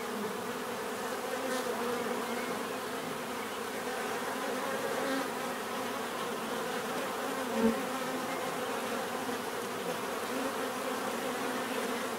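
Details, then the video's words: Many bees buzzing together in a steady, unbroken drone, with a short sharp click and a brief nearby buzz standing out briefly past the middle. "bees therapy relaxing natural buzzing sound"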